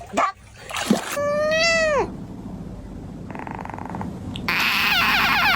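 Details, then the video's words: Funny cat sounds: a clear drawn-out meow with a bright harmonic stack that rises then falls, bracketed by short snorting bursts, people laughing, and a louder scratchy noise at the end. "Funny cat Sounds"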